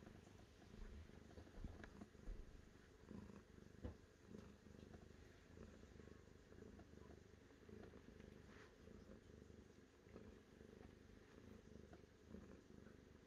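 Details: Continuous low purr from a cat, rumbling steadily for the whole stretch beneath a broad hiss of background noise and scattered faint clicks.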